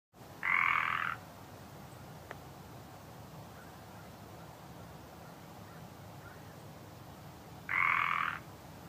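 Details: Northern Pacific treefrog giving its land call: two loud, harsh, rattling croaks, each under a second long, about seven seconds apart, over a quiet background hiss.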